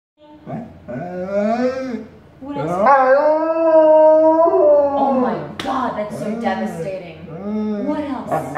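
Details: Wolfdog talking back to her owner at home, a drawn-out howling moan with wavering, rising and falling pitch in several long phrases, the owner's voice and faint music mixed in.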